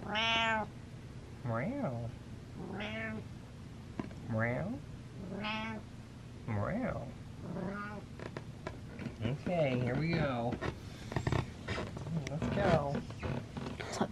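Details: Indoor pet cat meowing repeatedly, about every one and a half seconds: drawn-out, harmonic meows that rise then fall, some wavering. A woman talks to it, and her voice overlaps the later calls amid handling noises.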